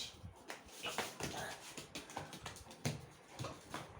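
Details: Two pet dogs, Laddu and Mojo, in a play fight at home; short, noisy bursts of growling and scuffling come one after another, broken by a person speaking Tamil.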